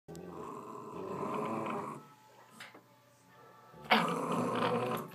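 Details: Jack Russell Terrier, female, growling while playing with a young golden retriever; a sustained rough, buzzy growl lasting about two seconds, a pause with faint rustling, then another loud growl burst.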